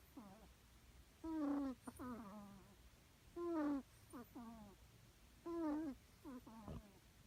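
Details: Snoring of a rescued kitten, each breath cycle a thin, sustained squeak and then a few quick downward-sliding squeaks, repeated about every two seconds over near silence.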